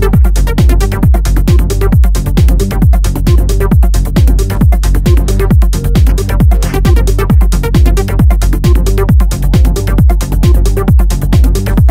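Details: Pounding electronic dance music with a fast, regular bass beat throughout and no animal sounds audible.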